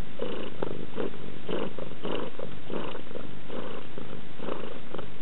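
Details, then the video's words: Pet cat Yasmina gives a continuous low purr, pulsing in even bursts about twice a second with each breath, with no other sounds heard. "Why and HOW Do Cats Purr?"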